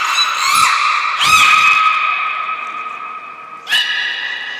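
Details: Training session with the belugas Hodoi, Taanya and Mirai, Port of Nagoya Public Aquarium, 1 November 2020. A long nasal, harmonic whistle holds steady, broken by two quick swoops early on, then a fresh squeal starts near the end.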